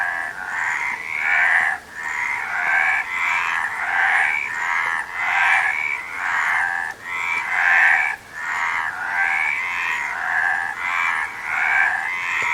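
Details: Frog chorus in rhythmic bursts about every second and a half, each a rough, pulsing croak mass separated by short dips, with bright rising whistles recurring within the bursts.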